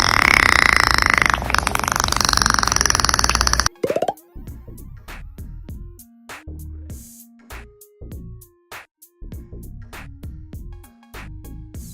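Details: A loud noisy burst gives way to bouncy synthesizer music with plopping and boing effects, and no animal sound heard.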